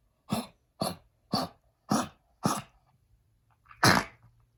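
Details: Oliver, a blind senior male Pekingese with lung damage from heartworm, gives five quick, harsh coughs about half a second apart, then one louder cough, while under heartworm treatment.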